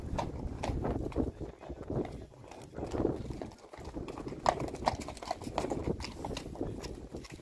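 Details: Six Friesian mares walking, their hooves giving uneven clip-clop knocks among dull thuds and shuffling, with a short quieter stretch midway and occasional soft talk in the background.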